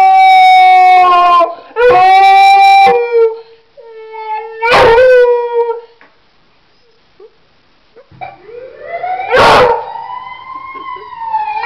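A beagle gives long, wavering howls with a few sharp yips, set off by an ambulance siren.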